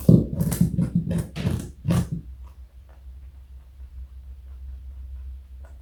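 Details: Pet rabbit Joey, a 4.6 kg bunny over 60 cm long, crunches a carrot indoors: a quick run of crisp, broadband bites for about two seconds, then quiet with a low room hum.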